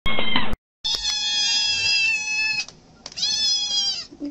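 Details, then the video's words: Domestic cats and kittens in a home, meowing for food: a short harmonic call at the start, then a long steady high-pitched meow with stacked harmonics, a brief pause, and another sustained meow. "Cute Cats and Kittens Meowing"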